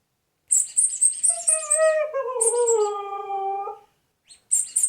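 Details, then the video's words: A Siberian Husky gives a squeaky reaction sound, a long tonal howl-like whine that bends up and then eases downward for roughly two and a half seconds. Pulsing music plays before and after it. "husky squeaky sound"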